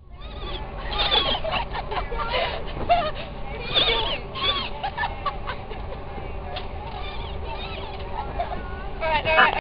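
Dolphins chatter with squeaky whistles, honking buzzes and rapid clicks overlapping one another.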